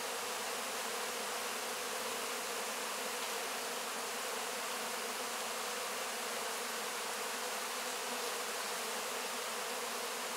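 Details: Honey bees crowding over wax cappings after the honey has been harvested, licking up the honey; a constant, thick buzzing drone that holds level across the whole stretch.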